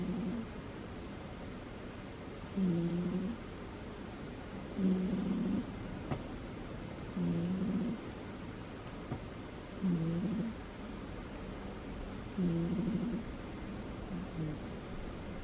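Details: A pet cat, a female, snoring in her sleep: six soft, low, nasal grunting breaths spaced about two and a half seconds apart, gentle and regular, against a quiet household background.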